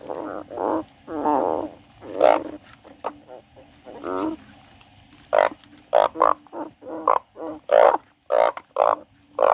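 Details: Frog crying: loud, harsh, croaking bursts of varied length, some long and droning, others short and clipped, coming in irregular clusters with brief silences between them over a faint low background hum.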